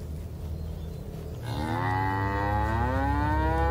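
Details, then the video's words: A calf in rural Indonesia starts a loud, rising, strongly harmonic moo that keeps going to the end, over a low steady hum. "Anak Sapi Lucu dan Pintar Sangat Dekat Dengan Majikannya"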